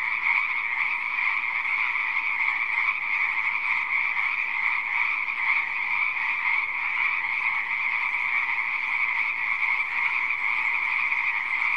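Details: A pond full of croaking frogs forms a continuous, thick wall of overlapping calls. The texture stays steady and unchanging with no pauses or other sounds.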